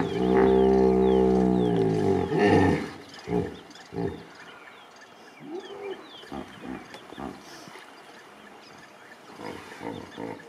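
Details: Hippopotamus at a Serengeti pool in 2019, where water was scarce but still left every hippo a wet spot: a loud, deep, drawn-out harmonic roar of about two and a half seconds, then a series of short low grunts, with small birds chirping behind.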